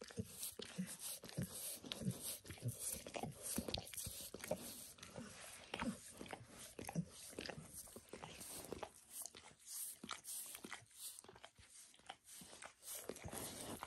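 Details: A dog cleaning itself indoors, licking its own paws and a nearby foot, gives a steady patter of sharp, wet clicking laps. Brighter, crisper smacks dominate the later part, with no voices present.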